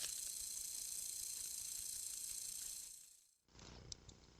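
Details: A timber rattlesnake at a New York den site during autumn 2024 fall ingress, caught on trail cam at night, gives a steady, dry, high-pitched buzzing rattle that cuts off abruptly.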